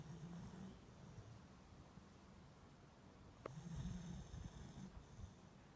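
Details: Beagle asleep and enjoying its nap, giving two low snoring rumbles with breathy hiss, one at the start and a longer one after a faint click midway, quiet room tone between.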